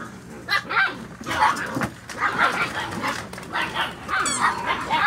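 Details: Litter of 7-week-old Poodle puppies (brindle, tuxedo silver sable, apricot-and-white parti, black) giving a rapid run of sharp, high yips and short barks, several overlapping, with a person's voice telling them to be quiet.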